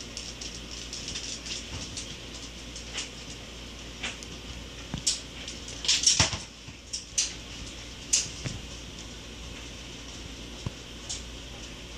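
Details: Scattered sharp clicks and knocks, like a ball and basket moving about indoors, over a faint steady background hiss, with no animal voice.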